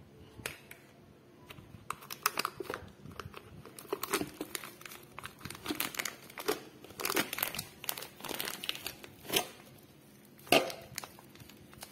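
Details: Packaging crinkles and tears indoors in a small room, with faint speech and no animal sounds.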